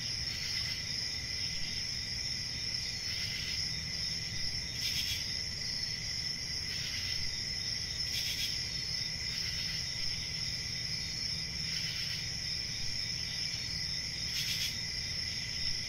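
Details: A continuous shrill cricket trill runs unbroken, and brief louder bursts of chirping flare up every few seconds over a faint low rumble.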